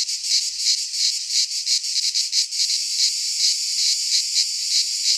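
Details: Several cicadas sing together in a Greek pine wood at midsummer; the shrill buzzing drone pulses quickly at first, then smooths into a steadier, even hiss, with nothing else audible.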